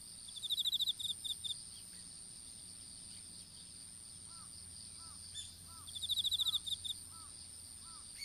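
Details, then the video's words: Insects calling in an open-air strawberry field, picked up by a smartphone dropped while seedlings were being planted: two bursts of rapid high pulsed chirps over a constant thin high whine, with soft looping lower notes between them. "虫の鳴き声in いちご畑"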